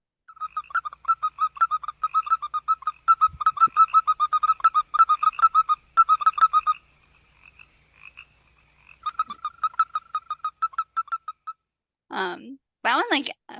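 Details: Western toad calling in quick runs of short, bright, peeping notes, like a chick or computer beeps. The runs pause and start again, and a few brief, voice-like sounds come at the end.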